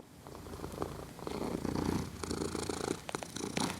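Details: Sleeping cat purring and snoring, recorded on a Zoom H6: a quiet, low rumble that swells and fades with each breath, rising toward the middle before easing off.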